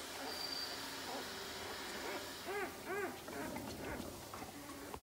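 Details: One-week-old Belgian Malinois puppies from a litter of eight, three males and five females, born 13 January 2020. Two short arched whimpers come close together, followed by fainter whines, over steady background music.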